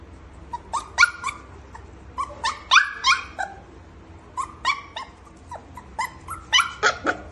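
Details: Golden Retriever puppy on its first day, giving a run of short, high yapping barks and yips with some whimpering tones, in uneven bursts of two to four across the clip, over a quiet background hum.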